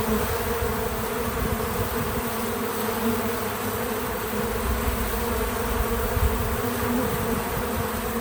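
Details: Steady buzzing from bees visiting a feeder, real-time natural audio with no narration, a dense continuous hum with harmonic layers and light background hiss.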